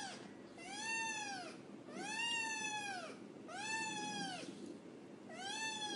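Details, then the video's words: Soft, quiet meows from a black kitten, four arched calls that rise then fall, repeated roughly every one and a half seconds in a steady rhythm, against a low room murmur. "MEO KEU MEO MEO Hình Ảnh Mèo ĐEN Con Đáng Yêu Tinh Nghịch Tiếng Mèo Kêu Meo Meo"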